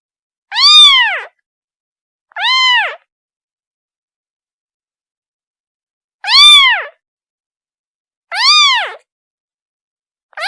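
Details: A kitten calls for its mother with loud, arched mews, rising and dropping in pitch, rich in overtones, arriving in pairs separated by about three seconds of silence; a fifth cry begins at the end.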